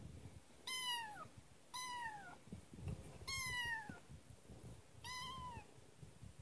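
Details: Young kitten, newly arrived at its new home, gives four clear meows in about six seconds, each a bright cry that slides slightly downward, spaced roughly one and a half seconds apart, with soft knocks and room noise between.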